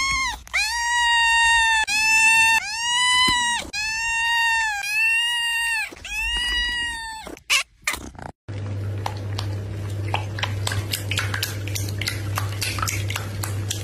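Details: Domestic cat from a funny cat compilation giving six loud, arching yowls in quick succession, roughly one per second. A cut follows to steady hum with scattered clicks and knocks.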